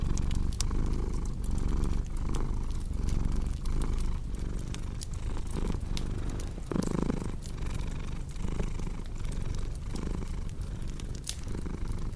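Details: Purring house cat, a low vibrating drone pulsing with each inhale and exhale, set against scattered crackles and sharp pops of a burning fireplace.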